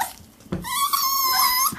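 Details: Six-week-old Pomsky (Pomeranian and Husky cross) puppies indoors; one drawn-out, high whimpering whine lasting about a second, steady then slightly rising, after a soft thump, with a faint room background.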